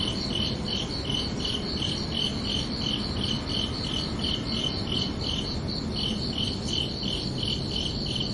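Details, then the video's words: Night crickets produce evenly spaced, shrill pulsed chirps, a short pause interrupting the rhythm before it resumes, over a faint low background murmur. "Calming Cricket Sounds for Relaxation"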